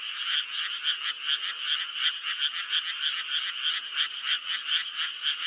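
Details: Croaking frogs in May, a continuous chorus of short, buzzy pulses repeated roughly three times per second, with several voices overlapping steadily.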